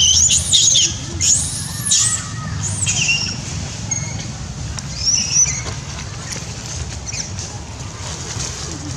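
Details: Monkey Sherri cries loudly, angry and frightened, while Dydy fights the orphan Jessie: shrill, high arched screams in short bursts near the start, then again around two, three and five seconds, over a low steady rumble.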